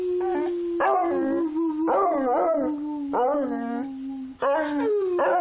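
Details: Beagle singing, a long sustained howl held at a steady pitch, broken by repeated rising-then-falling yodelling phrases with rich harmonics, about five phrases in a row.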